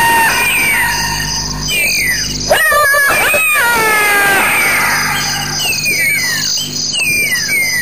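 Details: At 3:31 am, a black-backed jackal gives a series of high, falling whines and wails with a harsh rapid yammering burst; strange calls perhaps protecting something or trying to steal food.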